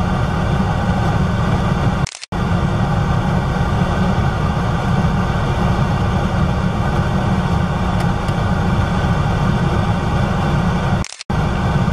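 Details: A steady low engine rumble of an idling vehicle fills the recording, broken by two brief silent cuts, with no animal calls heard.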